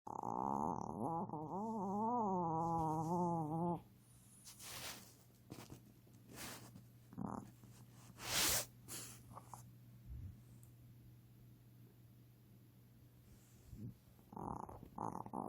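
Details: Male Yorkshire Terrier born December 2011 snoring while asleep indoors, a singing-style snore: a long wavering, whining tone that rises and falls for about four seconds, then quieter snuffles and rustles, with a steady low hum throughout.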